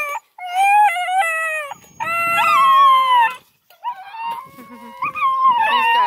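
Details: Several scent hound puppies confined in a deep transport box on a farm protest loudly: overlapping yelping howls, bending and wavering, come in bursts with brief gaps, and one pup gives a drawn-out cry at the end.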